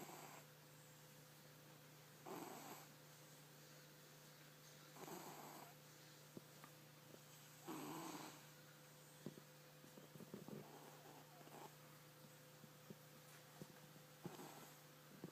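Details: A domestic cat snoring, with soft breathy rasps roughly every two to three seconds over a steady hum and faint background hiss.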